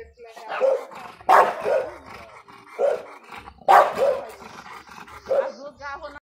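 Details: An American Bulldog of the Big Bully type gives deep, harsh barks in uneven bursts about every one to two seconds. Some barks come in quick pairs, with a rough, growly edge between them.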